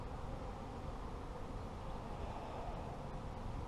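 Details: Honey bees at a beekeeper's apiary, a dense, steady low hum of many insects holding evenly through the clip without pauses.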